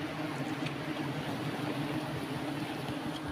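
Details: Steady broadband rushing noise with a low engine-like hum throughout, and no animal voice.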